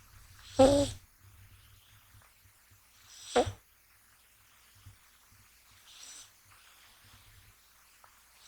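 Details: Deeply asleep indoors, male American Shorthair kitten Gash, born 6 January 2020, snores while being handled; two louder rasping snores with a tonal, slightly voiced quality arrive about three seconds apart, then fainter breaths.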